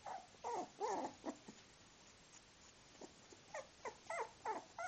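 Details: Miniature Bull Terrier male puppies of the "U" litter, Universe, Uncas and Uncle Sam, aged 24 days, give short whining yelps that rise and fall, in bursts at the start and again in the second half.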